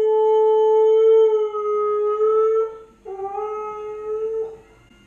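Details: Lady, a 10-month-old Siberian Husky puppy left home alone and filmed on camera, howls for her absent owners indoors: two long, steady, tonal howls with rich harmonics, the second starting after a brief break and dipping slightly before fading.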